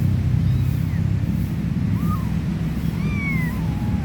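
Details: From a stray mama cat with three little kittens: a few sparse mews, a short one near two seconds and a longer drawn-out falling cry at three seconds, under heavy low-frequency rumble.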